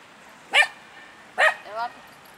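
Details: Free in the park, a male Miniature Pinscher named Eden lets out two sharp high barks nearly a second apart, the second trailing into a brief whiny tone.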